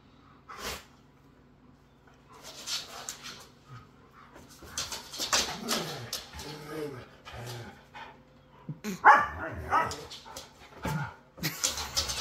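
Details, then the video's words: Two Siberian Huskies, one named Otis, wrestling in rough play: scuffling bursts, low curving grumbles and short yips, then a higher whining cry near the end, with a person's voice in between. "ROUGH HUSKY PLAY"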